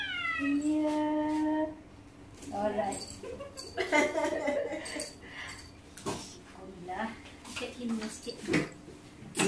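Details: A Persian cat on its first clinic visit gives one long, sustained, wailing meow lasting over a second, level in pitch then trailing off, followed by human voices and handling noises.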